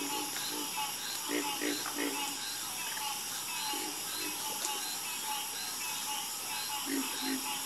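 Several frogs give brief, low, reedy croaks, some in quick clusters of two or three, others spaced seconds apart. A constant high-pitched hum, likely insects, fills the background throughout.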